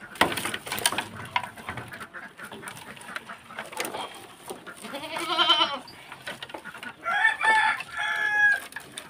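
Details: A goat at feeding time, kept by a beginner farmer who has brought fodder, gives one strong quavering bleat mid-clip, followed by another harsh animal call amid rustling and handling noises.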